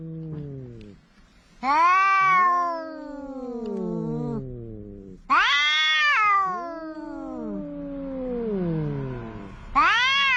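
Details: Cats quarrelling on the coast, a large orange cat among them: overlapping yowls and moans, loud wails swooping down into lower groans, two voices alternating and crossing, faint background hiss late in the passage.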